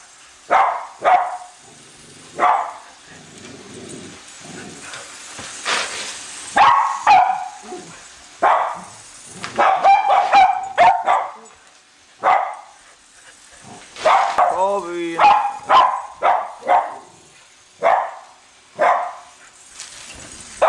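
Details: Pair of Cavalier King Charles Spaniels, Colby and Shelby, excitedly chasing the new Christmas train around the tree; repeated sharp barks and yips, some doubled, with a short whining break and faint train rumble in the background.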